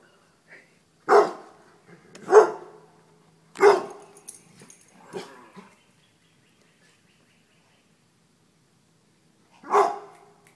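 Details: Dogs running from a deer mount give sharp barks, three spaced about a second apart, then a softer one, a long silence, and a final bark near the end.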